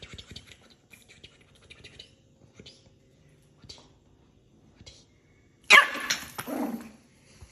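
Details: A Chihuahua gives one sudden, harsh bark near the end, after several seconds of near silence with faint rustles.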